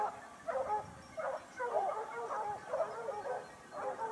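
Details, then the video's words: Basset Hound pack of Topsfield Lebrera hunting in Spain during the 2015-16 season, the hounds' second year hunting: overlapping mid-pitched bays and yelps in bursts about every half second, several dogs giving tongue together. "Basset Hound Pack (jauria) of Topsfield Lebrera (Spain - Espana)"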